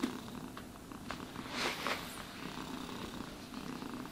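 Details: Contented house cat purring as it is brushed, the low vibrating purr continuous throughout, with a louder brushing swish near the middle.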